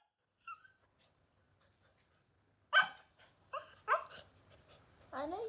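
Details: Playful puppy that wants to play and is biting, letting out a few faint squeaks, then several sharp high yips and barks and a drawn-out, falling whine, with a person's voice nearby.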